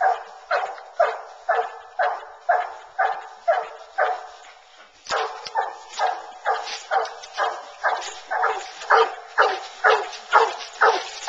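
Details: Bluetick Coonhounds on a coon hunt, running a track through corn and treeing in woods; loud hound barks repeated about twice a second, with a brief pause near five seconds before the steady rhythm resumes.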